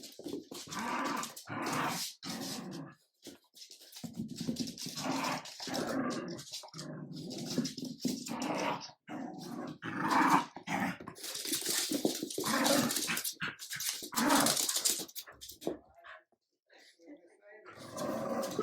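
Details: Adult Jack Russell terrier and French bulldog puppy at play, the adult asserting leadership; rough growls and grumbling snarls come in repeated bursts with brief quiet gaps.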